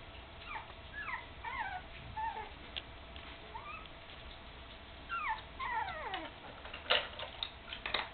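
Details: Nearly three-week-old puppies, eyes just opened and walking with a wobble, whimper beside their mother Candy: many quick high squeaks and downward-sliding whines in overlapping runs, ending with a few sharp clicks and taps.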